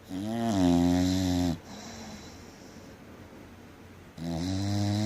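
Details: Three-year-old English Bulldog Rosalee snoring hard during sleep: a loud, harmonic, gravelly snore, a quieter breath out, then another strong snore starting after a pause of about two and a half seconds.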